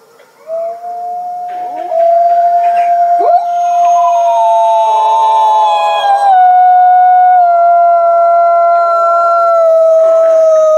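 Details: Captive gray wolf pack at the Wolf Conservation Center in South Salem, New York, howling: one long, steady, pure tone held for seconds, soon joined by higher overlapping voices that hold level notes.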